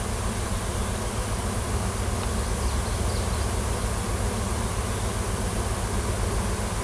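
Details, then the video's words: Swarming wild honey bees in a tree at a Washington farm, workers following a new queen that left the nest in search of a new home; continuous droning hum, thick and low, holding steady throughout. "Swarm of WILD HONEY BEES & NEW QUEEN"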